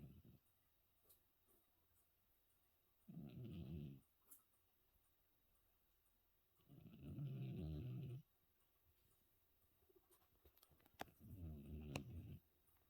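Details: After New Year's Eve, a 14-year-old cat sleeps soundly and snores: three low, grating rumbles about four seconds apart, with faint clicks and small rustles in the quiet gaps.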